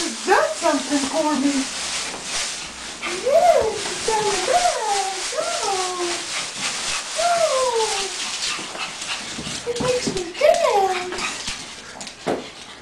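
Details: Female Pug/Boston Terrier mix, very animated, vocalizing because she wants a walk: a run of high, wavering whines and yodel-like rising and falling cries, repeated in short bursts, with some human speech.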